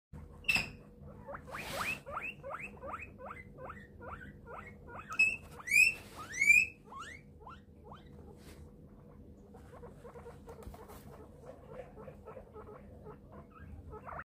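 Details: Domestic guinea pig calling as a door opens: a long run of short, rising squeaks repeated several times a second, with a few louder, higher whistled wheeks in the middle, then softer squeaks trailing off.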